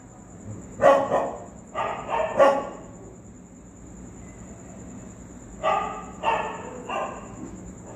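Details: Street dogs reacting to a ghost sound, giving short clustered barks, three early, then a quiet gap, then three more, over a constant thin high-pitched whine.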